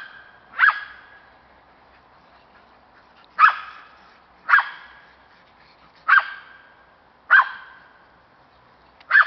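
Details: A Cairn Terrier, keen on hunting squirrels, gives sharp, single barks spaced a second or two apart.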